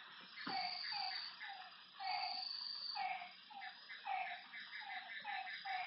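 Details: Frogs calling at night by a lake: short, slightly falling notes repeat about twice a second, some overlapping, over a steady high insect hum and chirps.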